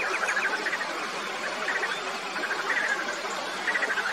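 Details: A frog gives short pulsed, rattling bursts in a mid-high register, each about half a second long and repeated roughly once a second, over a steady hissing background chorus.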